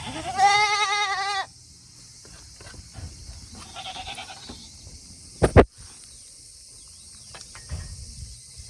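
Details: Farm Tokara goats in Himi, Japan, on a hot 8 August 2021 day, waiting to return to their shed after eating; one loud trembling bleat opens, a softer bleat follows, with a sharp knock and quiet rustling.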